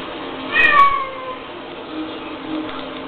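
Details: Domestic cat, female, meowing while reacting to playback of her own screams: one short, bright, falling meow near the start, then a quiet room hum with faint low sounds.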